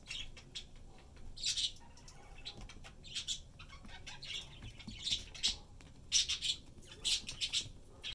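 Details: Peanut, a pet squirrel kept indoors since being rescued as a blind three-week-old, busies himself with favourite chickpea pods, giving scattered high squeaky chirps in small irregular groups amid soft rustling.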